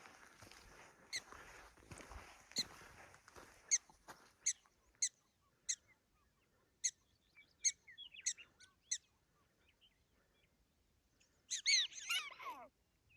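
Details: Prairie dogs on the Big Plateau Trail, Theodore Roosevelt National Park South Unit, give sharp, high chirps repeated about once a second, ending in a flurry of squeaky calls.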